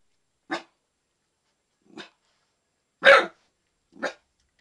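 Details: Young dog under a year old guarding its yard, barking to warn that someone who should not be there is present; four sharp, loud barks spaced roughly a second apart, the third the strongest, with silence between.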